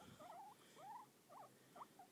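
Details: Male guinea pig Eli gives a run of short, wavering squeaks while being petted; he always makes this noise when petted and stops when petting stops.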